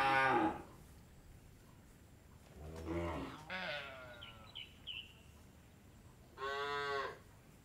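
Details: Cattle on an Indian dairy farm, several deep harmonic moos of varying length spaced a few seconds apart, with small birds chirping briefly in the background between calls.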